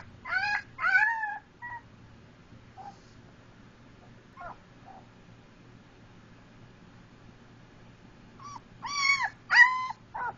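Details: A Siberian Husky–German Shepherd mix puppy gives short, high, wavering howls in bursts, with quiet gaps between them.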